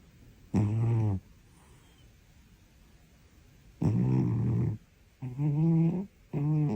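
A sleeping Siamese cat gives deep, raspy snores, each a rumbling, buzzy breath lasting about half a second to a second. The snores come in uneven bursts with short silences between them.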